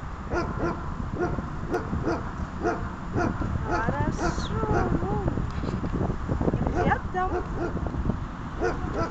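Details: Dog at a training session on 28.03.18: quick, high yelps and whining barks in a steady series over constant background noise, with some speech.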